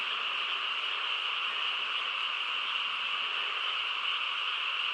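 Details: Steady nocturnal chorus of frogs in the quiet countryside, countless calls blending into one constant buzzing trill without gaps, level and unchanging over five seconds, no other noises.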